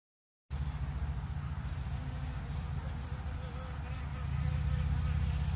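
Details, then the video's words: Bees buzzing in a low, steady, dense drone with a fast rough flutter, swelling slightly louder toward the end. "Il verso delle api"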